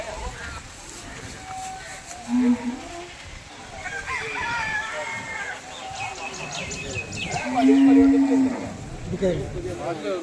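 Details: Water buffalo calf lowing at Chattiparamba cattle market: a short low moo early on, then a louder sustained flat moo later, amid men talking and crowd murmur.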